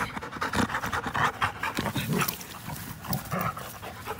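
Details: Playing together on April 21, 2019, an American Pit Bull Terrier and a Belgian Malinois cross pant hard; steady, rhythmic breathy puffs rise and fall throughout, with brief rougher exhalations.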